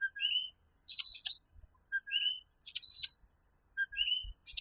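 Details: A tiny coquí tree frog of Puerto Rico calls at night with a clear two-note co-QUÍ, a short low note and then a whistled upslurred high note, about every two seconds. Rasping high insect bursts fall between the calls.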